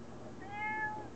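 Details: A domestic cat meowing near a window while its owner studies for finals; one drawn-out tonal meow rising slightly then falling, about half a second long, over quiet room noise.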